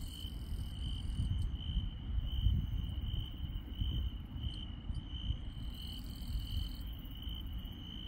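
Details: Insects calling at night in the countryside: a regularly pulsed high chirp runs from start to finish, with intermittent higher trills at the beginning and end and a persistent low rumble.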